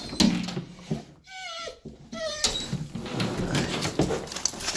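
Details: Dogo Argentino dogs Hobbes and Molly, indoors and eager to hunt squirrels seen outside, give a brief high whine in several short rising-falling tones, amid rustling, thumps and room noise.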